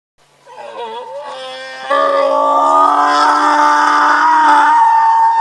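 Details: A very loud, vocal male donkey kept alongside horses, braying about every hour; a wavering, groaning start gives way to a long, strained, harmonic blare held steadily for over three seconds at full volume.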